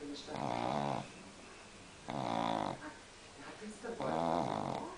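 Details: A pug in Munich snores in long, buzzy, rattling breaths that come roughly every two seconds.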